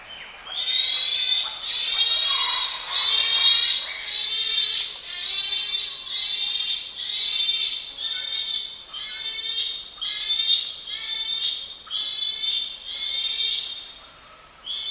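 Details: Close-up screaming of a bonobo, or pygmy chimpanzee, in Wamba Forest. Shrill, harsh harmonic screams repeat in a rapid series, roughly one a second, swelling and fading, with a high insect hum behind them.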